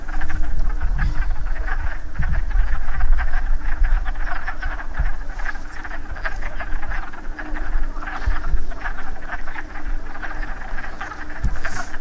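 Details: Wood frogs gathered to breed after rain, calling in a loud, continuous chorus of hoarse, quacking croaks that overlap densely with no pauses, over wind rumble.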